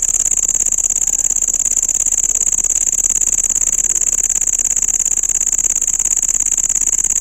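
A cricket gives a steady, very high-pitched trill, rapidly pulsed and without pause.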